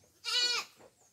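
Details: Goat eating coconut pulp (tubuan) at feeding time gives a single loud, quavering, nasal bleat lasting about half a second, followed by quiet chewing.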